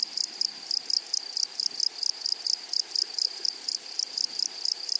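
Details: Grasshoppers on a flowery prairie: short, harsh, buzzy rasps repeat steadily, roughly three or four per second, for the whole stretch over a faint constant high whine.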